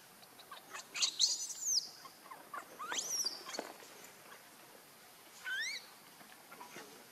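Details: Baby monkey Leo crying and begging its mother for milk because it is hungry: shrill rising squeals with sweeping harmonic slides, several bursts early on, then a short upward-bending squeal near the end amid quiet background hiss.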